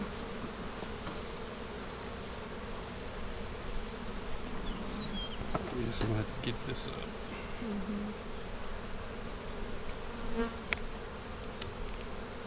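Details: Split honey bee hive opened for inspection on April 15, 2017; softer steady low buzzing of many bees, with scattered light knocks and faint tonal flickers over the drone.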